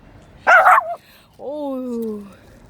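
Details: Shih Tzu lets out one sharp, loud bark, then a long drawn-out whine that slides slowly downward in pitch over almost a second, against a low room hum.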